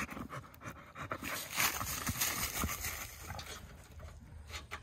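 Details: Dog panting while running around outside in 35-degree cold: rapid, breathy, irregular huffs about three per second, with broadband scuffing and rustling noise.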